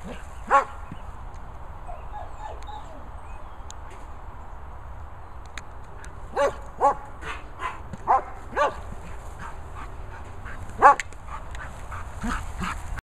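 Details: German Shepherd playing with a ball outdoors; several short sharp barks scattered through the recording, loudest near the end, with a steady low background rumble between them.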